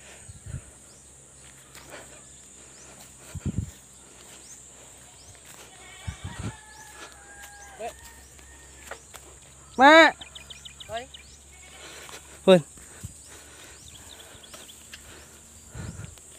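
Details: Pregnant goats on a Philippine backyard farm, heard between speech about their feed; one loud harmonic bleat bursts out near the tenth second, then a briefer second cry follows, with clicks and shuffling around them.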